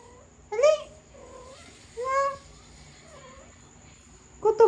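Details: Persian cat in conversation with its owner, giving short arched meows at intervals of one to two seconds: a quick call, a longer rising-falling one, then a brief final chirp, with quiet murmuring between.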